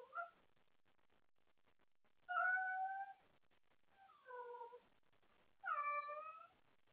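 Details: Wendy, a pet cat, calls out late at night wanting someone to play, after playing with her toys: three drawn-out harmonic meows spaced a second or more apart, the last one rising and then falling, indoors with a quiet room behind.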